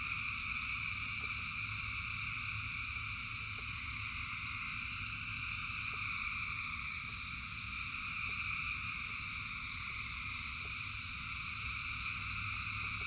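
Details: Thousands of frogs singing as rain falls, their calls merging into a level, droning high-pitched trill that never pauses, with a low rushing patter of rain and brief drip clicks throughout.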